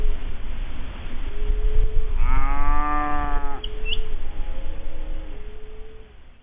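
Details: A cow (Bos taurus) in a soundscape recording gives a single long, low moo of about a second and a half, over a rumbling background with faint, steady tonal notes.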